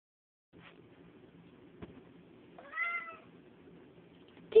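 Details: Cat playing with toys, including hands, gives one short rising-falling meow midway, over a soft low background hum with a faint tap beforehand.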